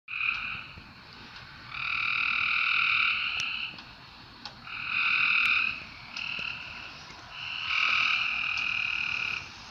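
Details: Frogs calling at night: long buzzy trills with a bright, stacked tone, each lasting one to one and a half seconds, coming in about four bursts with quiet gaps between them.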